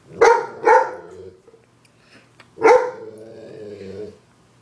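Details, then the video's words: Dog barking at a zombie on a TV screen indoors: two sharp, harmonic barks in quick succession, then a third about two seconds later, with droning TV sound underneath. "Dog barking at a zombie on a TV screen"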